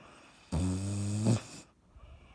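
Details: Sleeping dog Dottie gives a single rumbling snore of about a second, low and buzzy with a slight rise at its close, then quiet indoor room tone.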